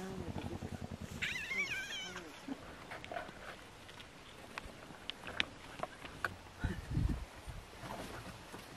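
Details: Hyenas squabbling over a topi carcass in the Masai Mara, Kenya, in September 2021, in the morning: deep pulsed growls, then wavering, high giggling cries, with people talking nearby.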